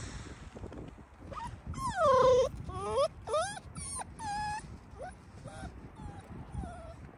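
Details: Young Yakutian wolf pups, just moved into an open enclosure and playing, give high squealing whimpers: drawn-out falling whines and short sharp yelps in bursts over several seconds, with low rumbling background noise.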